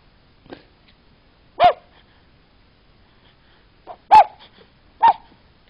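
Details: A sleeping puppy dreaming makes short soft yips and whimpers, four brief calls at irregular intervals with quiet gaps between, one faint early squeak; indoor stillness otherwise.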